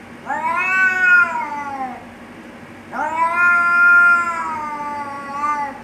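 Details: Two cats in a fight threaten one another with a pair of long, loud, quavering yowls, each swelling and then drooping in pitch, separated by a short, quieter gap.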